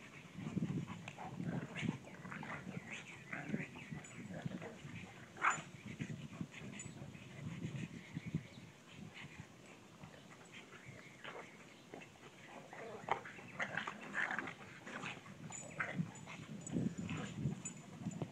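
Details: A pug and a bloodhound on a play date bark, grunt and growl in bursts.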